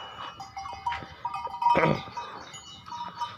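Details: Goats heading out to graze in a garden for the first time in many days; a few short wavering bleats, then a sharp broadband burst, over steady background tones and people talking nearby.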